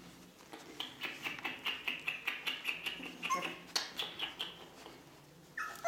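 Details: Ca de Bou puppies, four weeks old, offspring of Bea and Bubu, make thin, high-pitched squeaking whimpers in a quick, uneven series of short pulses, fairly quiet, with a brief louder noise at the end.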